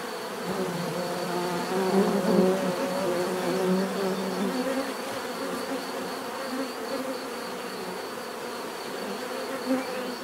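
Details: Continuous buzzing of bees, a thick low hum that swells slightly in the first few seconds and then settles into an even drone, with one bee passing near the end.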